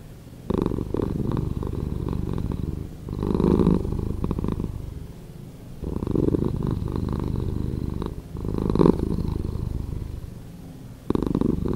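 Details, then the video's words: Cat purr, edited slower, heard as pulsing low rumbles: four or five loud surges separated by softer, breathier lulls, like a slow in-and-out rhythm across twelve seconds. "Cat Purring"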